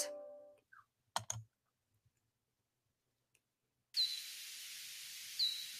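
Hoary bat echolocation calls, slowed down into brief downward-sweeping pulses over steady hiss.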